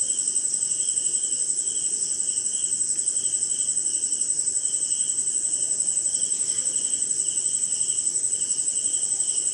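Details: Crickets and other insects heard on a rainy night in India, a constant piercing high-pitched trill plus pulsed chirping slightly faster than twice per second, without pause.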